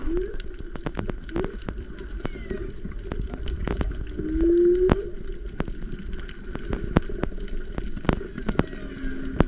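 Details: Off Tonga in whale breeding season, with mothers and calves nearby, a microphone lowered into the sea picks up underwater whale moans, short rising whoops and a longer upswept tone, over crackling, sloshing sea noise.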